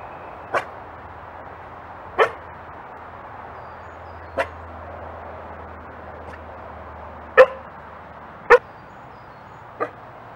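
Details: Dingo. Abrupt, gruff coughs from a dingo come one at a time, each clipped and breathy, at uneven intervals over about ten seconds. A steady background hiss runs underneath.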